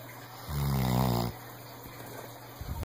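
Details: A senior rescued Weimaraner lets out a single low, throaty snore that swells and fades within about a second, followed by soft breathing and faint room hum.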